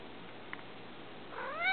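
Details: Pet cat named Bella, visiting her owner at the computer from her cat tree beside the desk, gives one short rising then falling meow near the end, after a quiet indoor stretch with a faint click.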